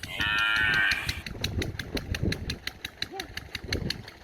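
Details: A cow standing near a house in a village gives a short, loud, harmonic moo, wanting grass to eat, followed by steady engine-like ticking.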